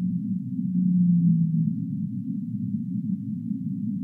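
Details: Humpback whale song for sleep: one smooth, low moan early on that eases slightly downward, then a constant dull, throbbing hum fills the rest.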